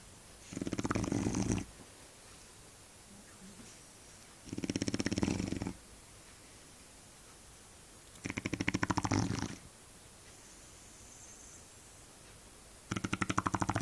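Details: A sleeping Shar Pei snoring loudly in four rattling bursts about one second long, each a rough low throaty vibration separated by roughly three seconds of quiet breathing.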